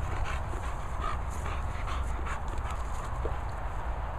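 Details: Play between English Bulldog Moll the Doll and English Bull Terrier Bailey at Worcestershire countryside kennels: rapid, rhythmic huffing pants and snorts over a constant low background rumble.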